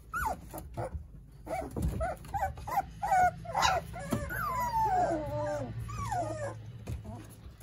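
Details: Playful whining from a litter of nine Jindo puppies with their mother Sarang: quick choppy yips at first, then long, sliding, wavering whines that drift downward, over soft rustling and a low rumble.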